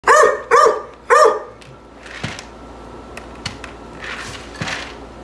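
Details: Bluetick and black-and-tan coonhounds indoors at dinner time: three loud, tonal, drawn-out barks in quick succession in the first second and a half, followed by quieter household clatter and faint thumps.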